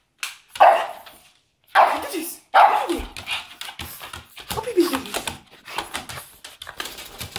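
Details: A Pekingese that wants to go to sleep lets out a string of short, nasal, whiny yelps and whimpering barks in uneven bursts, rising and falling irregularly, with a person's voice mixed in.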